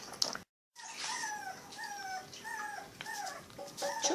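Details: Seven rescued puppies in Uruguay, cared for by an animal rescue, whining: a series of short, high, slightly falling whimpers from several pups in quick succession, with a brief dropout and faint background noise.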